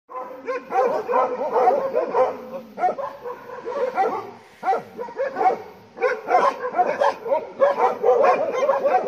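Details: Bhotia dog barking at a farm as a leopard comes near; dense bouts of harsh, overlapping barks and yelps, several voices at once, in bursts with short pauses between them.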